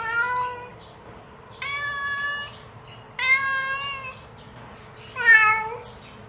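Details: Four insistent meows from a mother cat calling her kittens, each close to a second long, the last rising then falling and most intense, repeated about every one and a half seconds over low hum.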